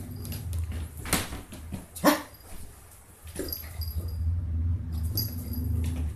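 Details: Chewie, a 165-day-old Lhasa Apso puppy, during play: two sharp, loud yelping barks about a second apart, then quieter scuffling and short yips over a steady low indoor hum.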